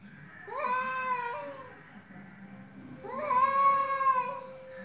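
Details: Cats fighting with their voices: two long, drawn-out wailing meows of about a second and a half each, the second louder, rising and then holding a steady tone, over a quiet indoor background.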